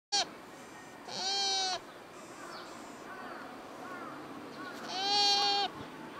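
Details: Deer in Nara Park, Nara Prefecture, Japan, calling during the October 2017 rutting season, recorded with a camcorder and external microphone: three loud, high, whistled harmonic cries, a short one then two steady half-second calls, over faint background murmur.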